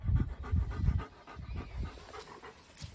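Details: Excited working German Shepherd puppy training in a park, panting in quick rhythmic low huffs, about two to three breaths per second, with a handler's voice giving commands nearby.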